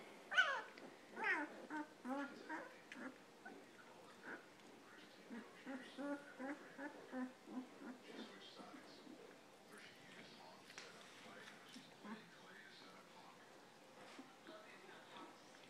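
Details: German Shepherd puppies almost two weeks old, snuggling in for the night, give soft, high whimpers repeated roughly once a second. They are louder early on and fade toward the end, with a person speaking quietly nearby.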